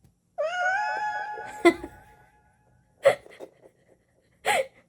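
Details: Domestic cat Dolsami, a rescued street cat kept indoors, answering its owner's prompt to say a few words: one long, drawn-out harmonic meow, slightly wavering in pitch, followed by a few soft thumps and clicks in a quiet room.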